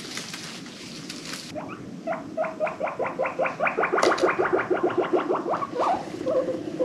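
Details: Pet guinea pig, one of an adopted herd, making happy wheeking sounds: a fast chattering train of short, upward-sweeping squeaks, almost two per second, after a brief hiss of noise at the start.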